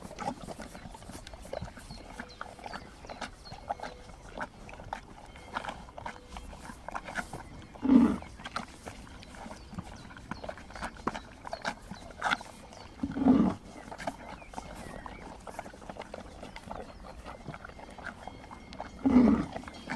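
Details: A mother horse with a younger one, relaxed while licking a salt block on a mountain, recorded from about 20 meters, gives three short, low, breathy calls spaced about five seconds apart; a group of horses and donkeys approaches in the distance.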